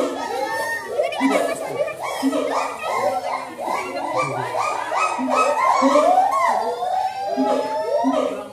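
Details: Siamang at a zoo giving loud, rapid barking hoots with rising whoops, among chattering visitors' voices.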